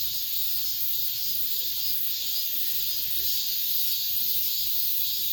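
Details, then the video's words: End-of-summer cicadas in an apartment complex: a constant high, sizzling drone with slight rhythmic waver, and faint low murmurs beneath the buzz. "올 여름 마지막 매미소리"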